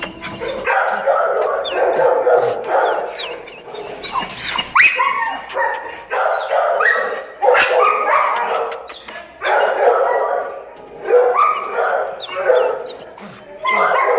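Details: Female Staffordshire Terrier in an animal shelter, crying for attention: a run of high, harmonic whimpering cries and yelps in bursts of one to two seconds with short pauses, plus occasional sharper barks and clatter.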